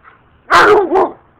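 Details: Female German Shepherd and Rottweiler dogs fighting in a backyard as their owner walks in: one loud, harsh snarling bark in two quick bursts, lasting under a second.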